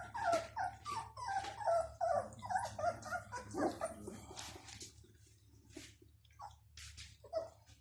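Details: Bloodhound (Chien de Saint-Hubert) puppies at Rue du Vieux Canal, several together: a busy run of high, wavering whimpers and yelps overlapping for five seconds, then quieter scattered squeaks and a few sharp yips.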